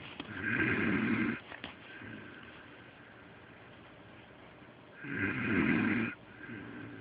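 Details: Pet dog Delilah snoring loudly while asleep indoors, as loud as a human. Two long, rasping snore breaths about four and a half seconds apart, each roughly a second long, with quiet breathing between and no other sounds.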